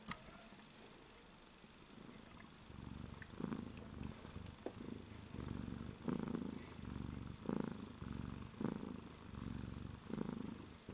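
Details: Domestic cat purring: a low rumbling purr pulsing in steady breaths, with soft stronger bursts roughly every second, quiet indoor background.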